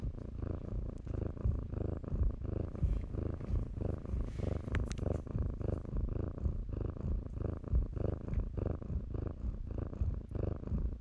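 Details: Loud, close purring from kittens at play in blankets: a dense low rumble pulsing in rhythmic in-and-out breaths, with brief rustling of fabric around the middle.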